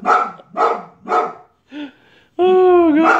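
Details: Angry white female Boxer barking at a man cleaning a neighbour's gutters: three loud, deep, rough barks about half a second apart, then a short bark and a long, tense, whining, howl-like yelp.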